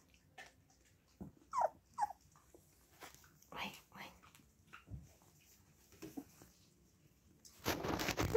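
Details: Siberian Husky puppies indoors being settled down to sleep: a series of short, high, wavering whimpers and yelps with brief pauses between them, followed at the end by a loud burst of rustling handling noise.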